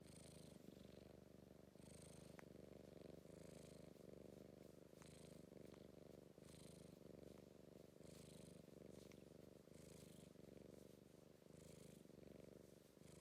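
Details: A British Blue shorthair cat being soppy and affectionate, purring in a steady, low, rapid rumble that continues without pause, with a faint soft hiss rising and falling with each breath.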